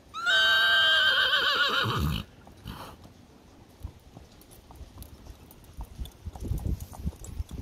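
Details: Grey Percheron mare letting out one loud, sustained, high whinny of about two seconds that trembles and then drops into a low snort, followed by quiet hoof shuffling.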